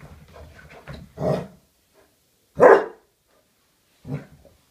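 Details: Basset Hound dog running and playing wildly indoors, giving a few short, loud barks spaced over a couple of seconds, the last one softer, with quieter shuffling and panting sounds before them.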